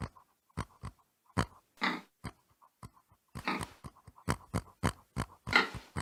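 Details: Pig making a run of brief, breathy grunts and snuffling noises, spaced unevenly, with a few longer rasping exhalations and quiet clicking in the pauses.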